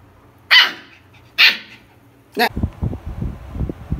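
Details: A Siberian Husky puppy, between 20 and 60 days old, complains indoors with two short, sharp, high yelps about a second apart. A person's voice follows closely and speaks over low murmuring.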